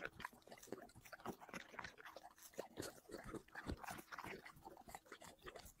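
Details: Dog eating plates of chicken and vegetables; steady wet chewing, smacking and crunching bites, several per second, close and continuous.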